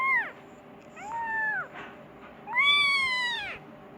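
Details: Persian kitten meowing for its mother because it wants food: a brief meow, then a longer one, then a loud, extended bright meow rising and falling, over low background hum.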